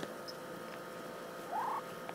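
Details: Kitten kept at a friend's home over the summer, called a little meanie, gives one short, thin mew that rises and then levels off, after a quiet stretch with only faint room hum.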